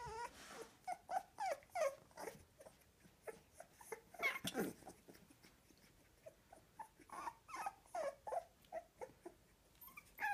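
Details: A litter of American Staffordshire Terrier puppies at two weeks of age squeak and whimper in quick, uneven pulses, with thin high-pitched whines rising over soft grunts.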